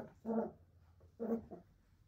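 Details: Cairn Terrier puppies, one male and two females, give short, whiny yelps, two bursts about a second apart.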